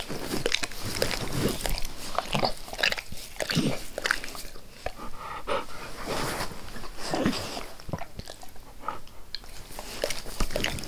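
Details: Max, a pet dog, licking his owner's face with zeal indoors in a small room; dense wet smacking and slurping clicks in quick irregular bursts throughout, close and loud, no talking.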